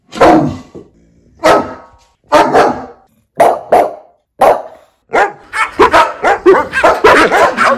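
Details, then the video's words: Loud dog barking, from a set of fifteen breeds recorded to draw a response from other dogs: single spaced barks about once a second, then a rapid, dense volley of overlapping barks at the end. "Dogs Barking Sounds Compilation (See How Your Dog REACTS). 15 Breeds Loud Dog Barking Sound Effect."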